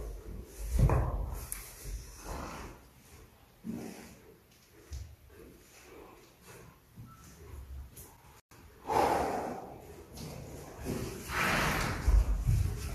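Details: Purebred Arabian horses at a breeding stud in Riyadh, Saudi Arabia. Loud, breathy snorts burst out early, then again around nine and eleven seconds, with softer breathing and shuffling noises between them indoors.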